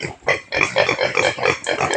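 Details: Native pig on a Philippine provincial farm, fed taro: rapid rough grunts and squeals in bursts about every quarter second, after a short pause at the start.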